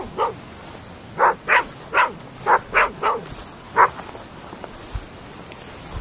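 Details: At night in open fields, Groenendael Belgian Shepherd dogs give a series of sharp, evenly spaced barks, about seven in quick succession, then quiet.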